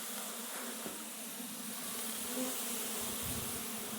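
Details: Russian honey bees at the first opening of their hive on a red stand, a steady dense humming drone with a low tonal band and broad hiss above, holding even throughout.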